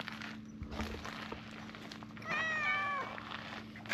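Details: One of several stray cats on a bench being stroked gives a single drawn-out, slightly falling meow lasting under a second, against a constant low hum and soft rustling.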